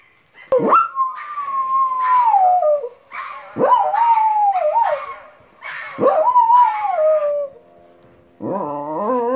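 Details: Pet dog goes wild over strange sounds, letting out loud howls that rise sharply then slide slowly downward, repeated three times about every two and a half seconds, ending in a shorter quavering whine.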